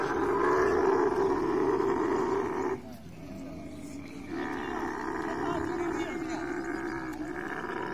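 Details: Camel during mating giving a loud, rough, pulsing roar with a banded, gurgling texture. The sound breaks off for about a second near the three-second mark, then resumes at a slightly lower level.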